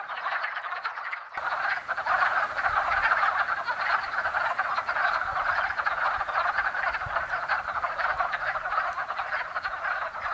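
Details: A woodland pond erupts into sound after a brief silence as numerous wood frogs call during their early spring mating ritual, a sustained stream of rasping, chuckling croaks with faint low rumbling beneath.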